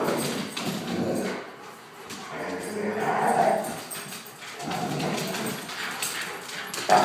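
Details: Playing Akitas and a German shorthaired pointer in a room; the Akitas' noises are playful talk, not aggression: throaty rumbling growls in two or three swells separated by quieter pauses, with scuffling.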